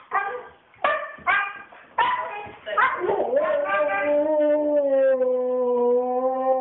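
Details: Female Siberian Husky flipping out, as she often does on walks: several sharp, hoarse barks about a second apart, then a long, steady howl that dips and levels off to the end.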